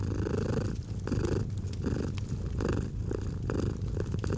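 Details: Close, deep purring of a domestic cat, breath-paced surges every half second to second, with sharp fireplace pops scattered throughout.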